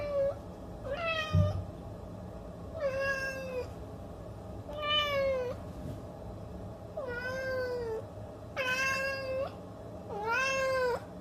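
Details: Kitten giving a steady series of six loud meows roughly every one and a half seconds, each a bright, slightly wavering cry that dips and rises at the end, over a faint steady hum.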